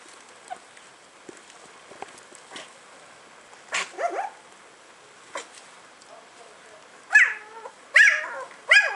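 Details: Puppies yapping: a few faint scattered yelps early on, then a whiny squeal near four seconds and three sharp, high-pitched barks in quick succession over the final two seconds.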